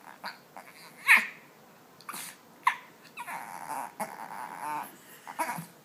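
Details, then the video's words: A puppy named Ding Ding makes rough, throaty grunts mixed with a drawn-out whiny, babbling sound. A few loud snorts stand out, and soft breathy noises fill the gaps. "Grunting Puppy"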